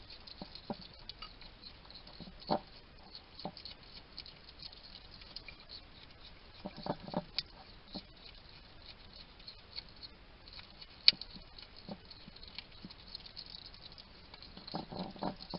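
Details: Wild male hedgehog at a garden feeding station in Somerset, UK, caught on trail cam chatting to himself while he eats: scattered crunchy clicks and short broadband snuffly bursts over a quiet background hiss.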